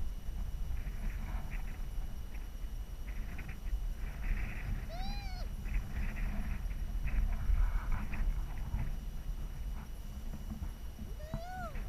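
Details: A harp seal gives two brief, arched, tonal calls that rise then fall over a steady low rumble, where adults glide under sea ice and pups rest on it.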